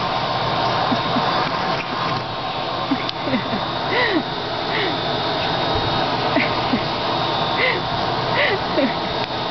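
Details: Toy poodle Komugi, delighted by the vacuum cleaner after home grooming, gives short high whines that rise and fall, several in a row, over the steady loud roar of a running vacuum cleaner.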